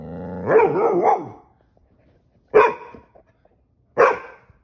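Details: Ranger, a pet Pit Bull angry at having his tail grabbed, gives one drawn-out wavering growly bark followed by two short sharp barks spaced about a second and a half apart, loud and clear indoors.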